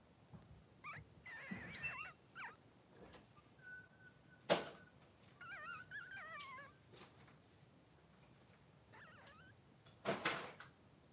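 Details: Newborn Blenheim Cavalier King Charles Spaniel pups, three days old, two males, in Pom-Pom's whelping pen. Repeated wavering, warbling whimpers in short bursts, with one flat steady whine and a couple of sharp knocks or thuds between the cries.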